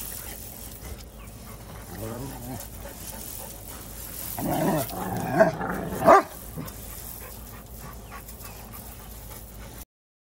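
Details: Two big pet dogs, Zeus and Nova, grumble at each other when close while playing with big rocks; a short low harmonic growl, then a longer louder run of throaty grumbles ending in two sharp yelps, over steady low background rumble.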